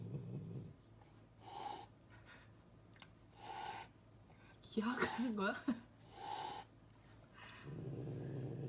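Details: Pet cat indoors at home, a single wavering meow near the middle that rises and falls in pitch, surrounded by quiet human speech and breathing in a small room.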